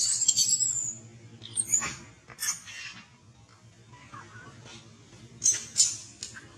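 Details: Baby monkey Bobby, blocked and refused milk by Brinn, gives thin, very high squealing cries in short bursts at the start and again near the sixth second, with faint clicks and rustling in between.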